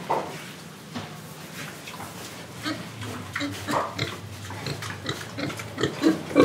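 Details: Pig in Indonesia, breathing and eating, gives a steady run of short, rough oinking grunts about three per second, uneven in timing, mixed with snuffling and chewing noises that grow louder toward the end.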